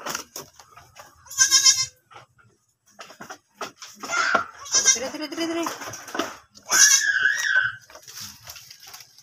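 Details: Goats after a birth on a farm: several wavering, nasal bleats, one short and high, others longer and quavering, among rustling, handling noise and faint voices.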